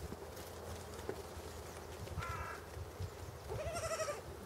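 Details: Young pygmy goat at Walter Zoo in Switzerland, filmed 26 February 2015, walking and crying, perhaps searching for its mother; two soft bleats, a short one then a longer quavering one, over steady low background rumble.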